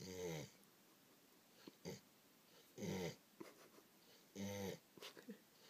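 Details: An English Springer Spaniel, tired after a day of eating lots of food and playing with children, snores in loud, rasping, gobble-like bursts, with softer snuffles between.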